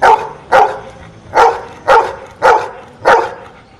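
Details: A dog answers sums by barking. Six sharp, mid-pitched barks come at uneven half-second to second gaps after it is asked three plus two and five plus one.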